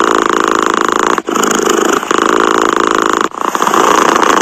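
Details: A cat purrs in a steady, throbbing rumble with two short pauses, one near the first second and one past three seconds. Nothing else is heard.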